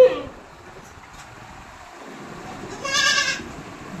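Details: Hybrid goats on a goat farm in West Bengal; one wavering, nasal bleat of about half a second rings out after a brief sound at the start, with quiet farm background between.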